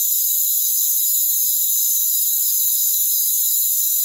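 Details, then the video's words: Rainforest cricket chorus: bright, high, continuous trilling from many insects at an even loudness, with a faintly pulsing texture and nothing else audible. "Rainforest Crickets"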